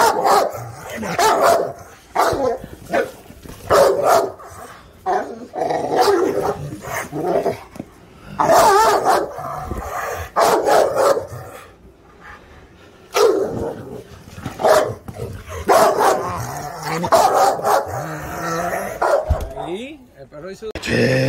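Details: Presa Canario barking in a rapid, uneven series of heavy, rough barks, several bursts close together, with short pauses and a brief lull near the middle.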